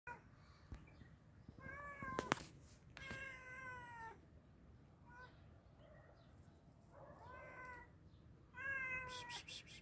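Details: Hungry cat being fed, meowing in a few separate harmonic calls around 2, 3, 7 and 9 seconds, some falling in pitch, with sharp clicks and handling noises between them.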